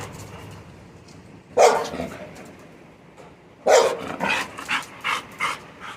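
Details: Labrador Retriever giving two loud, sharp barks a couple of seconds apart, followed by a run of quicker, softer barks over a low background hum.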